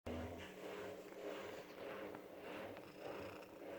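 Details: Gloria, a cat living in an animal shelter in Germany, purring and snoring at once: a soft, steady rasping rumble that swells and fades in slow breathing cycles of about a second each, quiet and close.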